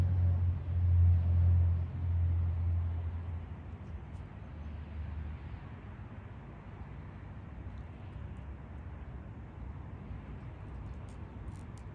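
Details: A low vehicle rumble is loud for the first few seconds, then fades into quiet outdoor background noise with a few faint ticks.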